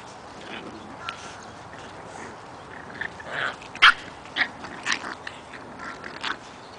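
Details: Eight-week-old puppies playing outside: short, sharp yips and barks come in irregular bursts, loudest near the middle of the clip, over a steady background hiss.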